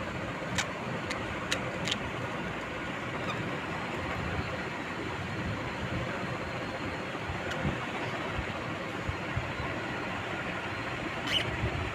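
Steady broadband rumble like passing traffic, with a few sharp clicks and no clear animal calls.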